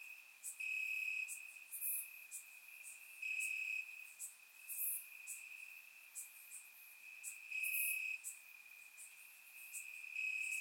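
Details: Crickets chirping in grass on a warm summer night in Bulgaria, captured with a surround microphone: a steady high trill with louder pulsed bursts every second or two, and faint higher chirps from other insects layered above.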